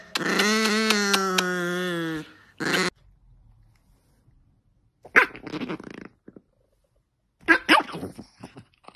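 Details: Sammy, an angry dog, gives a two-second throaty, pulsing growl-moan with evenly spaced throbs, followed by a short grunt. A person's voice and scattered clatter follow after a pause.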